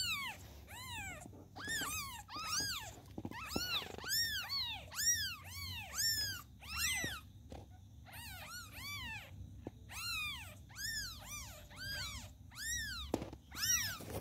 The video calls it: Newborns Kittens Calling Their Mom 🤩